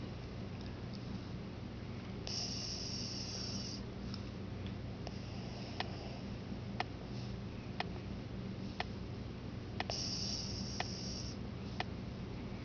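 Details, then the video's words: Lhasa Apso named Marvin, a pet dog, snoring very loudly while asleep indoors: a steady rasping breath noise repeating about once a second, with several sharp clicks and two brief bursts of high hiss. "Marvin Snoring"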